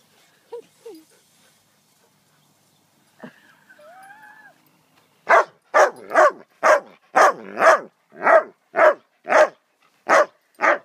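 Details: Ten-week-old female Cairn Terrier puppy: a few soft whines, then a run of about eleven sharp, high yapping barks, roughly two per second, in a quiet room.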